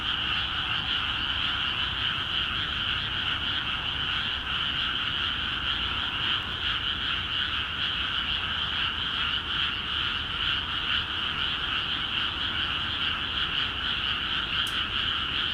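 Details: ['Frog chorus from flooded paddies in Akiha Ward, where watered fields set frogs calling actively; countless overlapping croaks keep a steady, throbbing drone throughout, with a short sharp tick near the end.']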